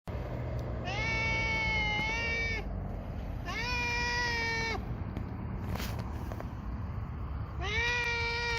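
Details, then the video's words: A hungry black cat eating dry fish gives three long, drawn-out meows. Each lasts almost two seconds, starts with a slight rise, holds steady, then drops at the end. A faint click falls between them over a steady low background hum. "Black Cat Feeding | Cat Eating Dry Fish | Hungry Cat"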